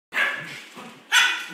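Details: One of two Schipperkes play-fighting on a new floor gives two sharp, harsh barks about a second apart.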